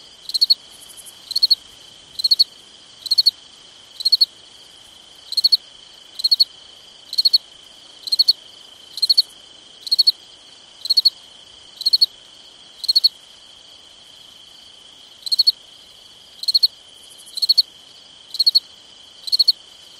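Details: Cricket at night in summer repeating crisp pulsed chirps roughly once a second, pausing briefly mid-sequence, over an unbroken high insect hum.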